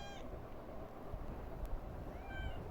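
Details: Domestic cat meowing while seeking affection, acting up for a little petting: two short high meows with bright harmonics, one at the start and one near the end, over a steady low rumble and background noise.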